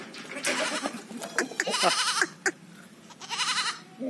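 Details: Jamunapari goat at a state goat farm, giving two quavering, wavering bleats, one around the middle and a shorter one near the end, with sharp knocks and clatter between them.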